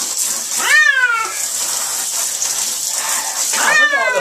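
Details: Domestic cat with fleas being bathed in cool water, giving two loud, drawn-out meows that rise then fall, one early and one near the end, over a steady background hiss.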